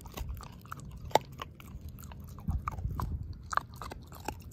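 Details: Dog Ozzie mashing a pork steak bone to pieces: soft wet chewing punctuated by scattered crisp crunches and clicks, a louder bite near the middle, quiet indoor background.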